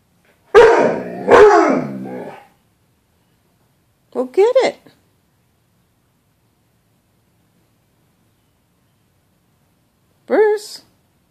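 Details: Pet dog barking at its own reflection in a closet door's glass, treating it as another dog: two loud harsh barks, then a shorter yelp-like bark after a pause, and a final sharp bark near the end.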